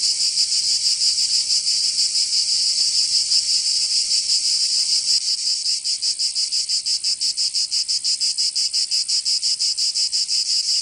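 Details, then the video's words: Provence summer cicadas, southern France, begin with a smooth continuous high-pitched whine that breaks after about five seconds into rapid rhythmic pulsing, roughly three beats each second, until the end. "Canto Cigarra 🦗 [ Escuchar les cigarras en verano 10 H]"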